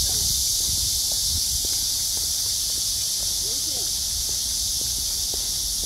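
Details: Cicadas singing on a clear blue-sky August summer day after heavy downpours, a steady high-pitched hissing drone that never lets up, with faint low rumbling and soft clicks underneath.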